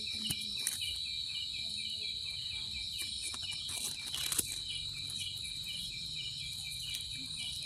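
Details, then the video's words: Cricket song: a steady high-pitched trill holding one note throughout, with a fainter pulsed chirping layered underneath and a few brief clicks and knocks in the background. "Cricket sound effect(cricket sound)"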